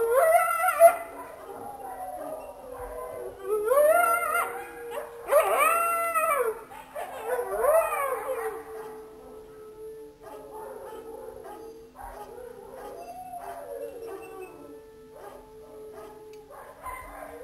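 Jackals howl in a chorus of wavering, rising and falling wails broken by quick, high yips.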